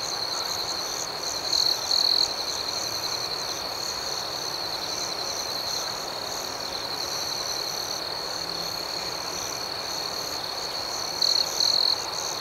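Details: Crickets at night, a steady high-pitched chirping chorus that hums without pause, with two brief louder pulsed bursts standing out near the start and end; no other animals or voices.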